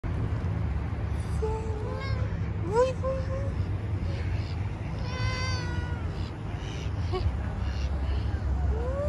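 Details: Stray street cat being petted, giving several short rising and falling meows, one long harmonic-rich meow in the middle, over steady low background rumble and a person talking softly.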